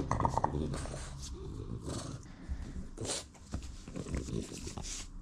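A French Bulldog gives low, gruff barks and grumbles to demand its owner's attention.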